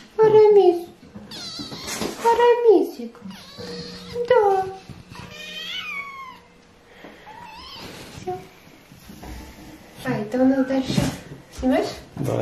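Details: Several hungry kittens, possibly British Shorthairs, give high, rising-falling meows wanting food while being fed and called by name, with one kitten stealing food and people talking in the background.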